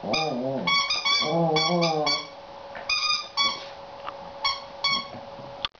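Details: Seven-week-old female Border Collie puppy irritated by her new toy: rumbling growls give way to a string of thin, high, tonal yips in small clusters, with a soft background hum and a click at the end.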